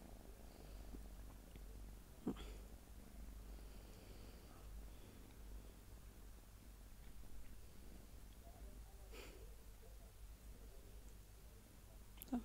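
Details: Soft, low purring from a small domestic cat, a steady rumbling drone with brief clicks or snorts at about two and nine seconds, and a sharper sound at the very end, indoors and otherwise quiet.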